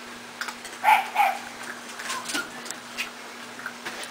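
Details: Young puppies from Jitterbug's litter, newly eating dry food; two brief whiny whimpers close together near the start, then faint squeaks over a background of light clicking and chewing, with no talking heard.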